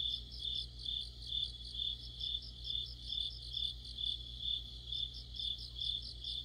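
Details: Crickets and companion insects in autumn, shrill sustained ringing and regularly repeated pulsed chirps, set over a low steady background hum.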